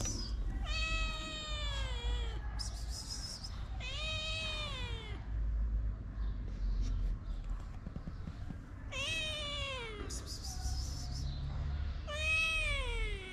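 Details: Two shy but hungry sister kittens, abandoned in Morocco and cared for in a small shelter, meow repeatedly: four loud drawn-out cries, each starting high and sliding downward, spaced by pauses with low background rumble and faint chirps.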